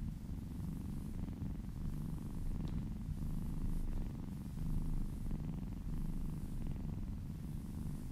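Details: Domestic cat purring steadily while being massaged, a continuous low rumbling drone with soft rhythmic pulses and faint rubbing noises over it.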